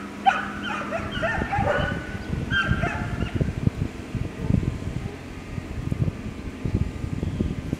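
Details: Labrador Retriever puppies, ten weeks old: a run of high, wavering yelps and whimpers in quick bursts over the first three seconds, then only a low rumbling, thumping background with scattered knocks.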